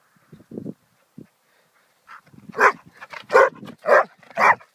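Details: Zack, a four-year-old Hungarian Vizsla pointer, letting off steam with a run of four loud, rough barks about half a second apart, after a few soft low grunts and quiet pauses.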